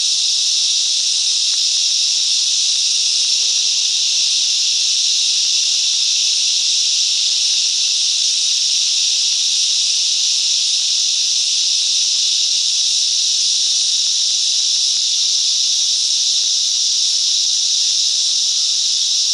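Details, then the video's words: Cicadas sing together in bush mangroves at Coffs Harbour, NSW, Australia, a steady, high, hissing drone that never pauses. "Cicadas Song - Coffs Harbour"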